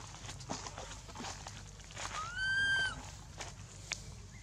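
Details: At Angkor Wat temple, baby monkey Anissa, hurt after Aron hit and dragged her across hard ground, gives a single thin rising-then-falling wail amid rustling, footstep-like knocks and background noise.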